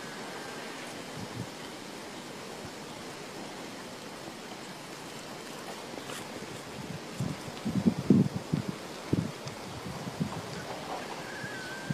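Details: Outdoors in the countryside, steady wind roars in the microphone with rustling and a few dull thumps late on; no calls are heard.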